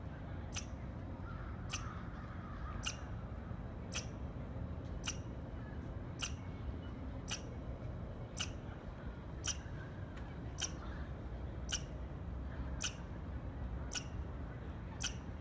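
A squirrel repeats short, sharp chirps at an even pace, roughly one each second. Each note is a quick bright tick, and a low background rumble runs underneath throughout.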